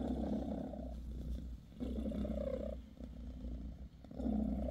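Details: Bassy the British Shorthair mother cat purrs while grooming her kittens; a rough low rumble pulses in long swells, dipping briefly between breaths, with soft rustling.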